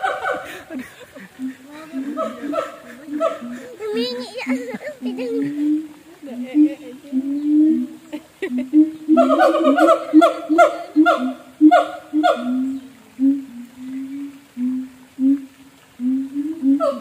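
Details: A zoo siamang in North Lombok gives loud, rhythmic barking calls that rise and fall, repeated in quick series.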